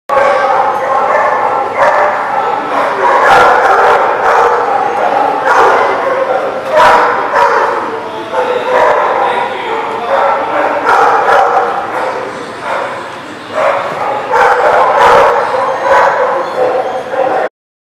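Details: Several dogs barking together at a dog facility, dense overlapping yaps and barks in rapid bursts with no pauses, loud and continuous, briefly dipping near the end before resuming.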